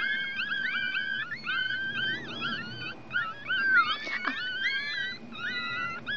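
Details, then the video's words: One-week-old Chihuahua puppies from a litter, drying in the sun, give overlapping high squeaky whimpers with wavering, rising and falling pitch. Several voices cry at once, and a brief sharp click sounds near the middle. "My Chihuahua puppies one weeks old."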